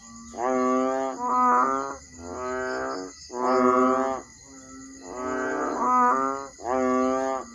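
An Asian painted frog gives loud, nasal, cow-like bellows, each about a second long, repeated steadily.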